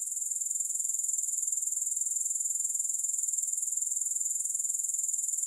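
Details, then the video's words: Grasshoppers with no music: a high-pitched, steady chirring trill of fast, even pulses, about two to three per second in the loudness pattern, continuing unbroken throughout with no other sounds. "Grass Hopper Sounds"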